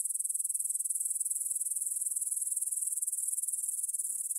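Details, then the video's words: Grasshoppers stridulating in a meadow near the Svensky monastery field in Bryansk, Russia, at 9pm on September 6, 2020, captured on a Tascam DR-44WL in stereo: a steady, high, hissing chorus of rapid pulses, unbroken throughout, with no other sounds. "кузнечики на лугу – Grasshopper Sounds in the Field"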